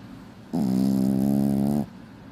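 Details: A sleeping Chihuahua puppy snoring loudly indoors: one sustained, steady, even-pitched buzzing snore lasting just over a second, rich in overtones, with quiet room noise before and after.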